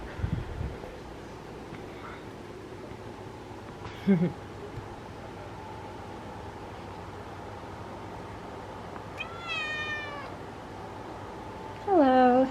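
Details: Orange female cat on a Saturday, a woman speaking softly to her, then two drawn-out talking meows near the end, the last lower and wavering, over a steady background hum.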